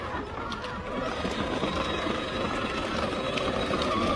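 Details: Steady broadband background noise with faint murmur of distant voices and traffic-like rumble; no animal calls stand out.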